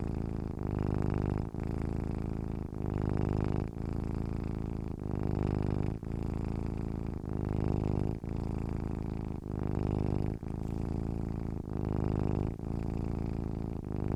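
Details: Deep humming purr of a contented domestic cat. The low rumble swells and fades in a steady rhythm, about one breath per second, with short pauses between inhale and exhale. The recording is otherwise quiet.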